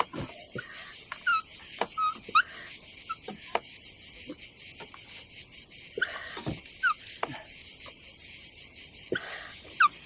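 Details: Cicadas on a summer day at a campsite above the Adriatic Sea in Croatia: a steady, high, unbroken buzzing drone runs throughout, with brief chirps, clicks and louder hissing swells around one, two and a half, six and nine seconds.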